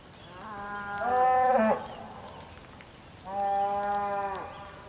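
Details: Bulls calling in the rain on the Patagonian plain, Tierra del Fuego, Argentina: two long, steady, strongly harmonic moos, the first ending in a rough break, separated by a short pause.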